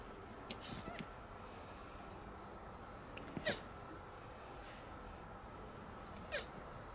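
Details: Hermann's tortoise during mating: short, faint, sharp squeaks at irregular intervals of about three seconds, each a brief broadband burst over a steady low background hum.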